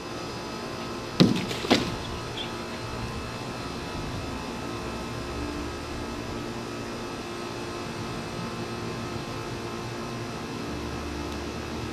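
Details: Constant mechanical hum with two sharp clicks early on, like a car door or window motor, and no animal call.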